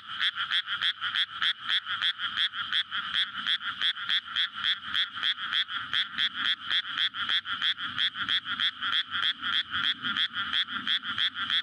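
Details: Frogs chorusing at night in May in a freshly flooded rice paddy before planting, courting to lay eggs, paddy surrounded by housing, recorded on a Sony PCM-D100; dense, fast croaking pulses, about three per second, layered into a continuous rattling wall of sound.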